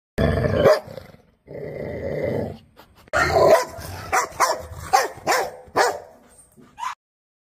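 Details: Puppy giving two drawn-out, rough growling whines, then a quick series of about eight short, sharp yipping barks with a rising, squeaky edge, ending on a brief high yelp.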